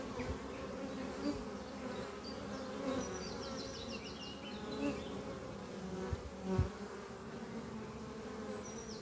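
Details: Honey bees flying at the hive Doppio, a horizontal hive made from an old French oak chest under trees, on a spring morning while workers bring in pollen. Steady low hum with overtones, swelling as single bees pass close, with bright bird chirps above.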